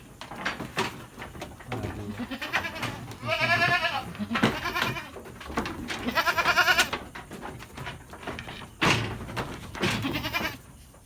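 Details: Goats at a livestock farm in Lhokseumawe, Aceh, Indonesia, raised for Qurban and Aqiqah. Two loud, wavering, tremulous bleats, each lasting about a second, stand out over pen clatter and rustling, with a few fainter calls between them.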